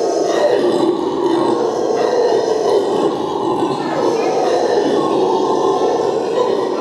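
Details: Red howler monkey at Cologne Zoo, a newborn clinging to its belly, howling: a loud, continuous, deep roaring drone that holds without break for about seven seconds, rough and throaty throughout.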